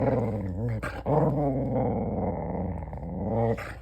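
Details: A border collie making a weird continuous low growling, grumbling sound indoors, with wavering rises and dips in pitch and brief breaks near one second and three and a half seconds.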